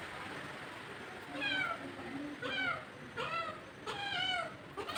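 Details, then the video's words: Two look-alike cats that turned up together; several short rising-falling meows, each around half a second, repeated about four times over a few seconds with a noisy background. "কোথা থেকে দুটো বিড়াল এসেছে একদম এক রকম দেখতে"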